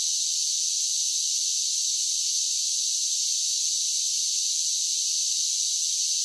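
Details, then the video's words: Summer cicada chorus: an unbroken, even, shrill hiss-like drone that stays at constant loudness throughout, with no other sounds. "10 Hours of Cicada Sounds for Relaxation with Soothing Summer Nature Sounds"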